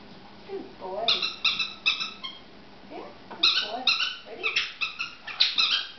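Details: Poodle playing catch with a ball indoors: high squeaky yelps and whines in two bursts, bright stacked notes repeated roughly every half second, with faint lower vocal sounds in between.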